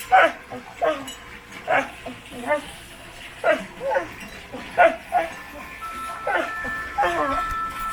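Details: A dog scratching his own back makes short, moaning grumbles in quick bursts, each sliding and wavering in pitch.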